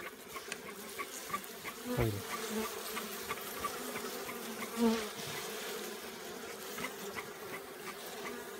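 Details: Giant honey bees at a honey-producing colony give a dense, unbroken low buzzing hum, with occasional louder passes and faint ticking sounds throughout.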